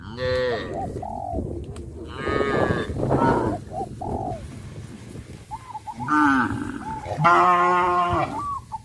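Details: Cows being led to green grass fields, lowing in several long, deep, harmonic moos of varying length, spaced through the recording, with quick repeated high chirping notes from other animals between them.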